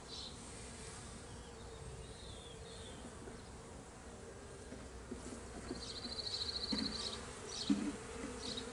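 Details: Honey bees escaped from a hive and being returned to it, 26 May 2023: a continuous low buzzing drone, louder toward the end, with a rapid high trill and a few knocks near the close.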